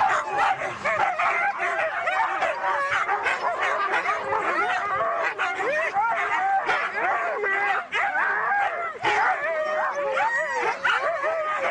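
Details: Siberian huskies at a race in East Anglia, a pack of excited dogs, keep up a loud tangle of yips, rising and falling whines and short barks, voices layered constantly.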